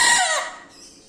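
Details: Loud Bekisar 'wido' crow, heard in its closing part: a strong, harsh, raspy note that slides downward in pitch and fades away within about half a second, leaving quiet.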